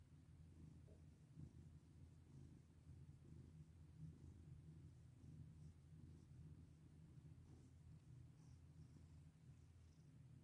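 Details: Domestic cat purring while being petted, a steady low rumbling purr throughout with a faint soft rustle near the start.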